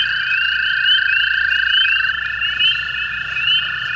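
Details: A chorus of hundreds of American toads on a night in May, 5 May 2016, at a flooded pool by a golf course near Hepworth, Ontario: long, steady, musical trills overlap into a continuous hum, with spring peepers nearby.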